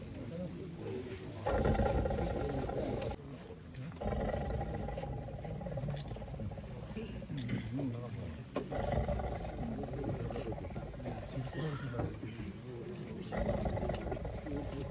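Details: A tiger held in a cage after capture in Wayanad roars and snarls in repeated deep, harsh bursts over about fifteen seconds, with nearby people talking between and over the calls.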